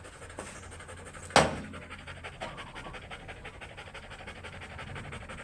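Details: Oversize chocolate Labrador Retriever dog during a stud session at Rosales, Pangasinan: fast, steady, rhythmic panting breaths run through the whole stretch, broken by one sharp knock early on, over a low indoor hum.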